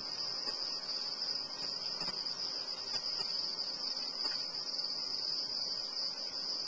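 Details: Quarter-inch feeder crickets produce a continuous shrill, even trill at high pitch lasting the whole stretch, a few soft taps and rustles underneath.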